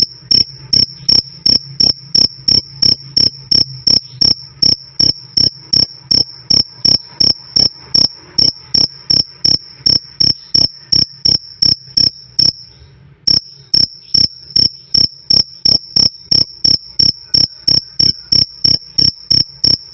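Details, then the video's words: Steady 'krik krik' of crickets meant as nonstop bird-tutoring or sleep sound: a long run of rapid, regular shrill chirps near three per second, pausing briefly just once before resuming unchanged. "Suara Jangkrik "Krik Krik" Keras Dan Jernih"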